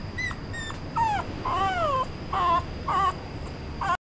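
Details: Male Toy Poodle with a red coat whining: short high peeps, then a longer arched whine that rises and falls, followed by two wavering nasal whimpers, over a low constant hum.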